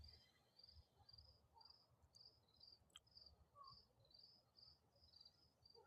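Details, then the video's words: Crickets chirping at dusk, faint high trilled pulses repeating about twice a second in a steady run, with a low outdoor rumble, a brief click and a couple of soft lower bird-like notes. "You hear the crickets?"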